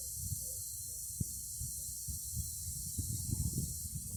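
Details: An even, shrill cicada drone runs without pause, high and hiss-like, accompanied by low rumbling and scattered dull knocks.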